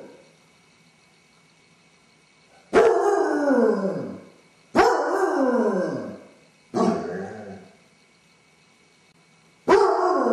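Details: Basset hound, male, alone in the house with separation anxiety, howling while owners are away; after a quiet start, four long descending howls spaced a few seconds apart, one breaking into a rougher, lower yowl.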